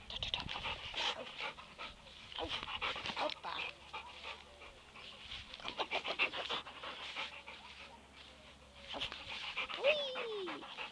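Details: A Labrador Retriever playing football pants quickly and huffs in rapid bursts, ending with a brief high whine.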